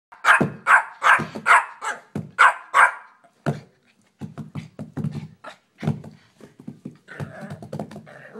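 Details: Puppy barking loudly in a rapid burst of sharp high yaps, about eight in three seconds, then softer scattered low yips and snuffles with small room echo.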